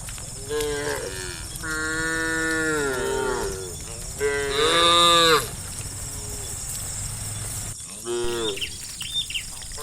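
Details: Hundreds of tame cows running together along a village forest interior road: several overlapping drawn-out moos, some rising into higher strained bellows, over a steady high insect-like hiss and constant background rumble.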